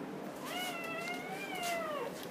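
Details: Dobermann puppy birth indoors after a day-long labor; one drawn-out, wavering whine of about one and a half seconds that dips at its end, against soft room noise.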